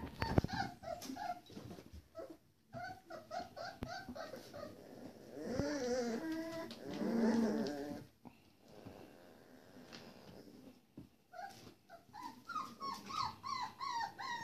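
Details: Four-week-old Pitsky puppies, a pit bull and Siberian Husky hybrid, indoors: bursts of high whines and squeals, a longer wavering whimpering cry midway, then quick repeated yips near the end, with low grumbling growls between.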